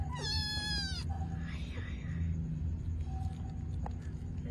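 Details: A newborn kitten gives a high, thin mew lasting about a second while its mother cat feeds her babies, over a steady low hum and a woman's soft voice.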